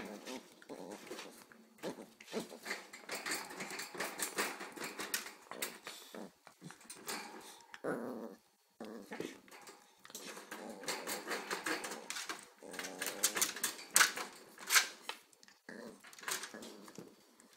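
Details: Two Corgis, an 8-week-old pup and a 6-month-old female, playing indoors in a small room: low harmonic growls and grumbles come in uneven bursts, mixed with scuffling, clicking paws and brief whimpers.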